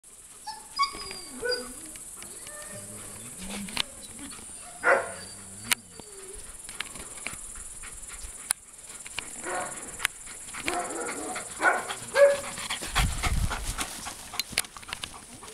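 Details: A four-year-old Alaskan Malamute gives short, bending woo-woo vocalizations, with a person speaking briefly.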